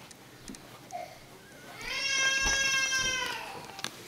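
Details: Two-day-old Australian Labradoodle Cobberdog puppy from a newborn litter, indoors; a single drawn-out nasal whining cry of about one and a half seconds, rich in harmonics and held fairly steady, with soft rustles and a quiet voice nearby.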